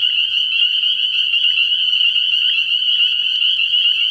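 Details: Spring peepers calling in a dense chorus at a frog pond at night early in the year; countless high, shrill peeps merge into a steady ringing band with no pause, fainter overtones above and a lower trilling layer beneath.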